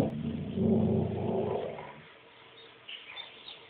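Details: Maeby, a pet dog indoors who seems to see something outside the window, growls low and rumbling for about two seconds, then fades to quiet room noise.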